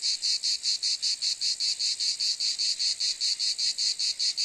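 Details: Cicada calling in a loud, buzzy rasp, pulsed about four times a second in a steady, even rhythm with no other sounds.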